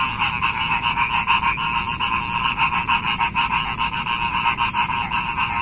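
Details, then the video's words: A dense frog chorus heard for relaxation, many callers producing rapid pulsed rattling croaks around the mid range, repeated several times a second with a steady high whine above. "SUARA KODOK INI BIKIN MERINDING"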